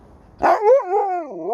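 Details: Alaskan Malamute named Sherpa talking back: a single loud, drawn-out woo-woo vocalization that jumps up sharply, then slides and wavers down and rises again, like a sung word.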